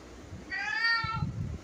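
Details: Domestic cat giving one drawn-out, steady meow lasting about three quarters of a second, level in pitch with rich harmonics, while a person speaks softly in Bengali just before and after.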